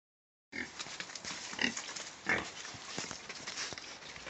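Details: Domestic pigs kept in a clean, well-maintained pen; two short, harsh, broadband squeals stand out about a second apart over steady background hiss and scattered shuffling noises.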